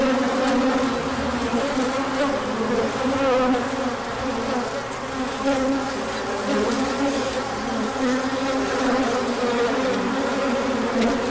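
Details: A large orientation flight of bees as the sun comes out after a colder spell, March 2024. A constant swarm hum with layered, gently wavering pitches holds steady throughout, full and unbroken.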